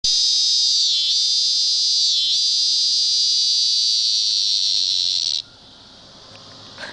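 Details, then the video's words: Cicada perched on a window screen in the Midwest in summer, giving an intensely loud, steady high-pitched buzz that dips briefly twice before cutting off abruptly, leaving quiet background hum. "Cicada in our window"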